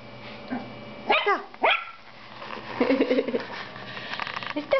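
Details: Female toy poodle puppy reacting to her reflection the first time she sees herself in a mirror; two quick high-pitched yaps early on, then a woman speaking playfully over quiet background.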